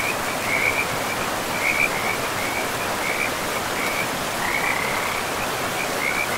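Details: Frog calling by a river deep in a pristine forest, with short bursts of high, buzzy trilling repeated roughly every second against a constant wash of flowing river water.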